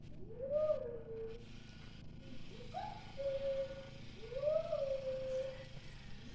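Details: Scooby, a Pomeranian, answers a boy's voice with three sustained, wavering howls, each swelling upward then easing down and fading, separated by short gaps of near quiet.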